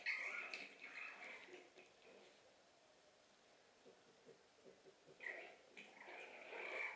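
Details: French bulldog puppies recorded 20 February 2012, giving high, thin whimpers and squeals at the start and again near the end, with quieter snuffling and soft shuffling in the gap between, indoors.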